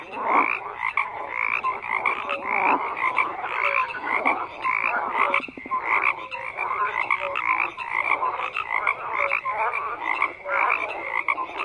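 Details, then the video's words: Dense croaking from many frogs, rasping and buzzy, with one clearly pulsed call near the middle standing out against the steady chorus. "FROGS CROAKING"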